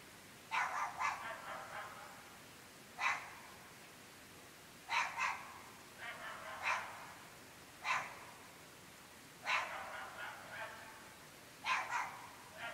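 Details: At 11.30 pm in an extremely rural UK location, dogs keep barking: quick bursts of two or three barks alternating with single sharp ones, roughly every one to two seconds, carrying across a still night.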